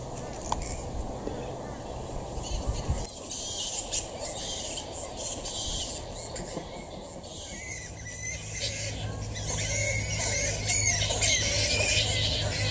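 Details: Little red flying foxes at a day-roosting camp at dusk, huddled together: a dense chorus of shrill, high squeals and chattering calls that grows louder toward the end, over a steady low rumble.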